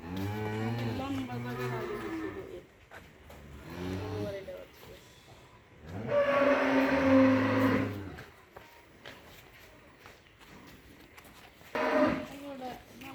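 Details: Mundi dairy cows, three animals kept on a farm in Faridpur district: deep, drawn-out moos repeated in three bouts, each lasting about two seconds, with background music and a man speaking between calls.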